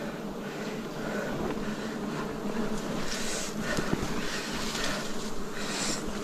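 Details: Wild bees swarm during a forest honey harvest in 2026, giving a dense, steady low hum with layered harmonics throughout, broken by occasional faint scrapes and rustles from the harvest work.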